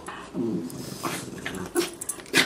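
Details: A Border Terrier being cuddled at home, giving a low grumbling whine followed by a few short, sharper whimpers and snuffles.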